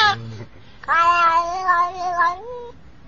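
A domestic cat gives a long, drawn-out, wavering meow, almost sung, after a brief lower cry.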